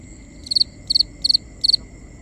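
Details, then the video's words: A cricket at night chirps four times, each chirp a rapid burst of three high pulses, evenly spaced about every 0.4 seconds, with steady faint high tones and soft low background noise in a binaural nighttime ambience. "Cricket Conversations | Binaural Nighttime Ambience"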